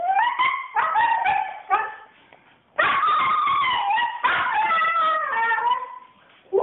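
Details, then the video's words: Female Siberian Husky flipping out, as she often does on walks, giving a rapid run of yelping, wavering howls and whines, rising then sliding down, in bursts broken by short pauses. "Siberian Husky Flips Out"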